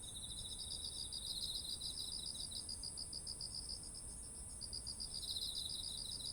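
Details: Beside autumn rice fields heavy with grain, insects keep up an even rhythmic pulsing chirp, a lower trill running underneath at the start and end, and a continuous high whine throughout, soft environmental rumble below.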